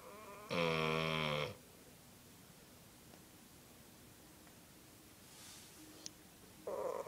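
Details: A cone-wearing Cocker Spaniel named Toby snores while asleep: a loud rasping buzz-saw snore of about a second, a long quiet pause with faint ticks, then the next snore starting.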